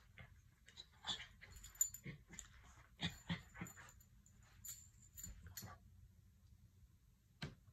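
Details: A miniature red poodle at play with socks gives scattered, faint whimpers and snorting huffs. They are brief, breathy bursts, some with thin high edges, spread unevenly across the recording over a low background hum.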